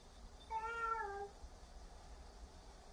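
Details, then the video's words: A single cat meow from the scolding match between Huimang and Jaetbit, who talks back. One steady, slightly falling meow lasting under a second, followed by quiet background hiss. "잿빛이에게 폭풍 잔소리를 하고 있는 희망이😾 따박따박 말대꾸하는 잿빛이"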